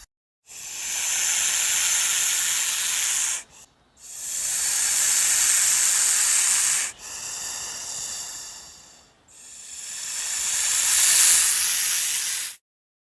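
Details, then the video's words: Four long, forceful hisses from an attacking snake, each a broad rushing exhale of roughly three seconds followed by a short gap, the last one building strongest before cutting off. "The sound of a snake attacking | The hissing sound of a snake"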